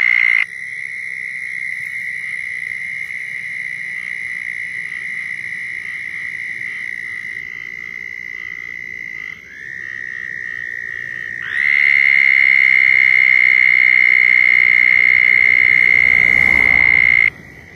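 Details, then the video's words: Several southern toads calling to mate in Florida, with overlapping high buzzy trills running nearly the whole time. A brief gap comes near nine seconds, then a louder, closer trill starts at about twelve seconds and stops abruptly near the end. "Southern Toads Calling in Florida"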